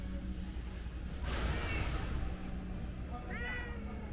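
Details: Calico cat begging for snacks, giving a short rising meow near the end after a burst of rustling noise, with a faint meow-like sound around one and a half seconds and steady low background hum.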